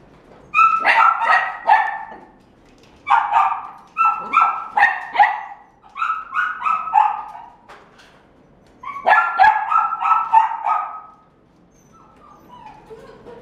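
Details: A red-and-white male Welsh Corgi puppy, born 23 September 2018, barks in quick, high, yappy bursts separated by brief pauses.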